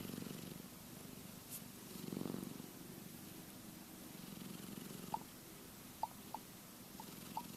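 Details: Keke the cat, asleep and dreaming, produces a quiet low rumbling snore with one stronger breath swell early on, followed by a few sharp soft clicks toward the end.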